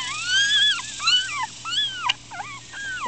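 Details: Loud drawn-out wailing cries from four-day-old Miniature Schnauzer puppies, upset and squirming; each cry swoops up then bends down, repeated in close succession, with one sharp click.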